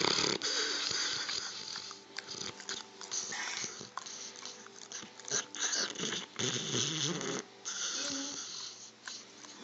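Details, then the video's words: A sleeping dog snoring indoors, recorded on an Android phone: rough, wheezy breaths repeating in irregular bursts, some louder rasping pulls mixed with softer hissing exhales. "Dog governor snoring"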